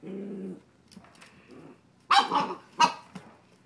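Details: Coda the puppy, mid-play with the cat Grizzly, starts with a low steady whine, then goes quiet with faint rustling before two sharp, bright yips in quick succession.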